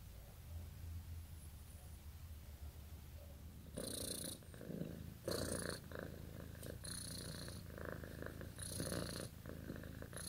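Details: Sleeping, dreaming domestic cat: quiet for the first few seconds, then a steady low rumbling purr rises, with breathy hissing surges recurring every second or so in an indoor room.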